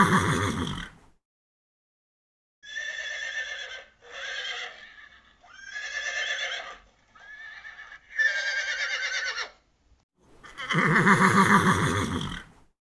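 Several horse whinnies with a quavering, high, trembling tone, each about a second long, separated by short pauses and opened and closed by louder, rougher neighs.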